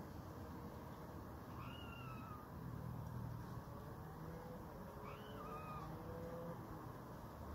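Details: Red squirrel giving cat-like mewing calls as a warning to a competitor not to start fighting again; several thin, arched whining notes, some sliding upward then falling, faint against constant low-pitched background rumble.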